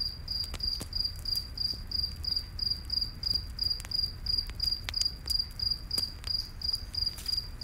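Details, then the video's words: Night forest crickets near a campfire give evenly spaced high chirps in a continuous train, while the fire crackles with scattered sharp snaps and a soft low rumble beneath. "Campfire In The Night Forest w/ Cricket Sounds"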